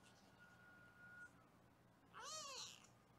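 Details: Foster kitten on a live kitten cam in Los Angeles during weighing: a single faint, high, arching meow after a quiet stretch with a thin electronic tone.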